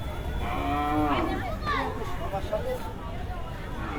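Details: Cattle from Kushtia, eighteen animals, newly arrived at a Dhaka cattle market between two and three at night before Qurbani: one short, harmonic moo near the start, over a steady din of people talking and crowd noise.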